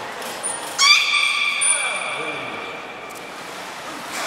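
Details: Beluga during a training session with Nana and Niko at Port of Nagoya Public Aquarium, 7 October 2018: a single sustained harmonic tone that starts with a quick upward sweep and then holds flat for about two seconds, alongside a thin high trainer-style whistle.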